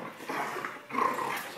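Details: A male Border Collie gives short, rough growls during play with a person, two gravelly bursts close together.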